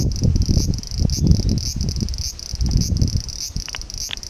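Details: Bear cicada calling in hot midsummer weather during summer holidays: a harsh, high, pulsed buzz throbbing roughly every half second, set against heavy low-pitched rumbling noise.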